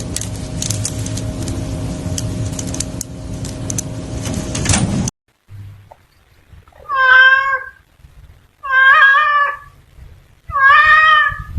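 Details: Fierce cat, described as wanting to mate, giving loud drawn-out wavering meows, three in a row about every two seconds, after several seconds of harsh noisy hiss-like background.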